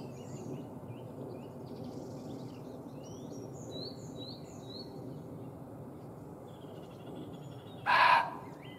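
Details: Wandering male muntjac deer in a field, alarmed by a hidden observer's scent beyond a hedgerow; faint scattered bird chirps and rural background hiss for several seconds, then one sudden loud rasping bark near the end.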